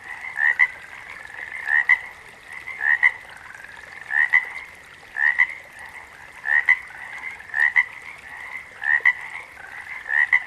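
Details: Frog chorus in nature, with one loud frog giving paired notes, a brief upward-sliding croak then a quick second note, about once every second and a half, over a steady hum of distant calling frogs.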